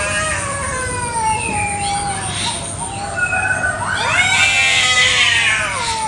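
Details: Village cats fighting fiercely over territory in a garden one morning: long, wavering, rising and falling yowls overlap into harsh, strained wails over a steady background hiss.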